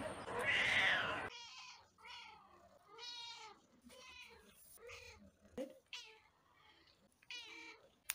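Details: A loud, rough burst opens, then a pet cat utters a string of short, fairly quiet meows, some rising and falling, spaced about a second apart.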